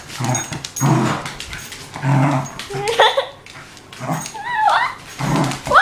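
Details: Rory, a playful one-year-old wire haired fox terrier, growling during play: deep rumbling growls pulse roughly every second, broken by high wavering whines rising and falling in pitch.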